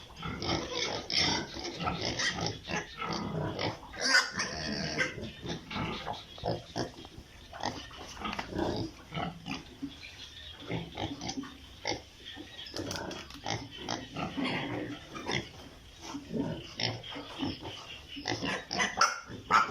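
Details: Chorus of piglets kept on an Italian pig farm: many quick grunts, snorts and occasional squeals overlapping continuously, mixed with clattering and rustling noises from the pen.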